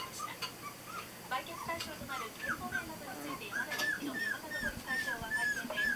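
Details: Border Collie puppies at 22 days old, the litter of Ren, Ten, Jasmine and Swan born 23 November 2012, squeak in rapid high chirping peeps that rise then fall, growing busier toward the end, amid soft rustling.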